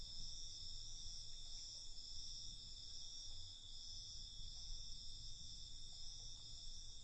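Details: Crickets at night: a continuous high-pitched trilling chorus in several steady bands, with a soft low rumble of background noise beneath.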